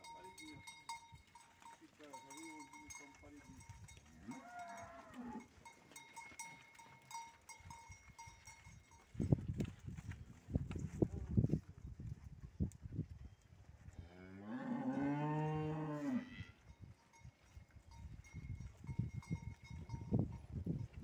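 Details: Pregnant heifers, six to seven months along, offered for sale at Capoeiras; one long harmonic moo swells and fades over about two seconds midway, amid thuds, rustling and handling noise, a steady faint tone, and brief distant human voices.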